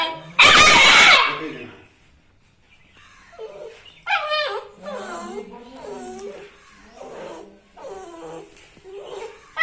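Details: Dog, called angry, opening with a loud harsh bark and then a series of thin, wavering whimpering yips that rise and fall, spaced roughly a second apart, in a quiet room.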